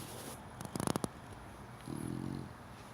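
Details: Four-month-old cream Chow Chow puppy asleep: a quick burst of snuffly nasal pulses, then one low, evenly buzzing snore of about half a second, in a quiet indoor setting.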